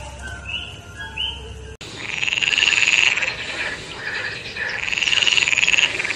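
A frog gives fast, buzzy pulsed trills, each lasting about a second, separated by short pauses.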